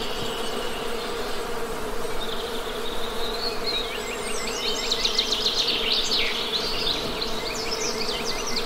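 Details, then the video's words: Constant deep hum of honey bees buzzing, joined midway by a busy stretch of quick, repeated bird chirps and trills. "Best Honey Bee Sound!"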